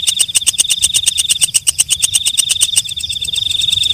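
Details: Katydid, known locally as walang kecek or night grasshopper, singing at night: a fast run of sharp, dry ticking pulses for about three seconds, then a steady high-pitched metallic trill.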